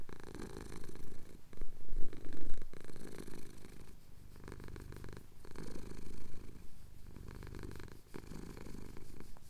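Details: Contented purring of a male cat as his chin is scratched during a Cotswold sunrise, recorded on a Tascam DR-07X; throaty low-pitched rumble rising and falling in breath-paced waves roughly every two seconds.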